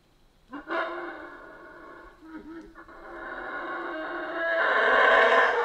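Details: Central American rainforest howler monkeys: after a quiet start, a sudden roaring howl breaks in, dips briefly, then builds into a loud, continuous, growling chorus that swells toward the end.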